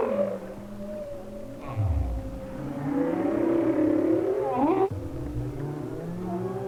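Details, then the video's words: Underwater hydrophone recording of a humpback whale singing off Hawaii in winter: sustained low tonal moans, deep downward-sweeping grunts, and a sharp rising upsweep near the end, layered over a low rumbling background. "They are the songs of one of the largest animals on earth and to me one of the most exciting."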